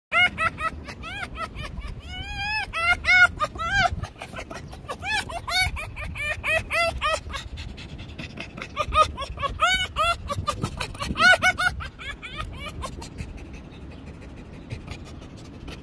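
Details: A pet fox named Finnegan gives a rapid giggling chatter, bursts of short high, rising-and-falling squeaky notes in quick series, pausing and resuming over about sixteen seconds, with low background rumble.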